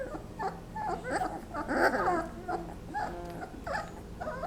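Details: Several 20-day-old Basset Hound puppies whimpering during their nap: overlapping short squeaks, yips and whines tumble together in a busy cluster, loudest near the middle, then thinner chirping whimpers continue.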